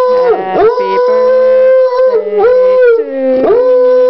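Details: Mullet the coonhound howls indoors as if singing Happy Birthday to his brother Grady on Grady's third birthday: long sustained mid-pitched howls with bending, swooping starts, each held over a second, with a lower steady voice joining beneath.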